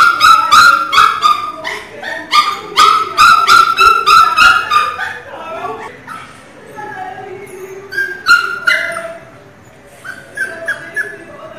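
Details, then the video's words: Mini Pinscher puppies crying: rapid string of sharp high yips and whines in the first five seconds, then softer, sparser whimpers and a few thin squeals trailing off. "filhote de cachorro chorando alto é de da dooo!! choro de cachorro pinscher"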